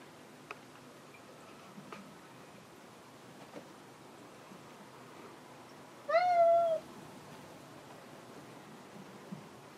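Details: A single drawn-out, level meow from Hanu, a cat looking for fellow cat Monaka, rich in harmonics and lasting under a second, set among soft clicks and taps in an otherwise quiet room.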